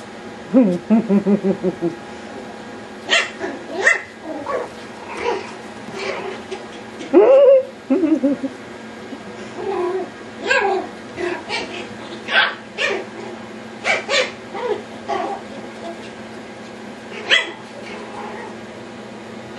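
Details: Yorkshire Terrier puppies going wild during play indoors. High yips and short barks burst out irregularly, with rough growly squeals between them and a few sharp high-pitched cries near the end.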